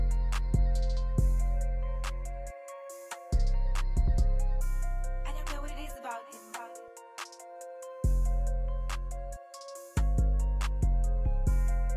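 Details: A hip hop style beat with deep bass hits, drum machine clicks and synth chords plays throughout, with no animal sound heard.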